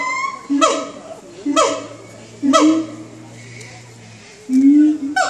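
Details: Siamangs calling in the early morning: short, loud, rising whooping notes repeated roughly once a second, with a pause before a longer upward-swooping note near the end.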